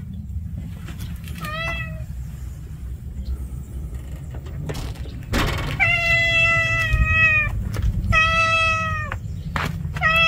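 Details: Street cat giving four clear, tonal meows, the later ones longer and level before dropping at the end, over a constant low traffic-like hum and a few knocks.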